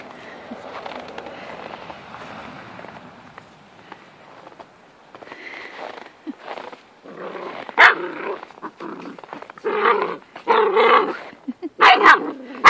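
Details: Female Moyen Poodle puppy, 13 weeks old, playing with an old, patient terrier: soft rumbling growls and scuffling noises, then a run of sharp, loud barks and yaps in the second half.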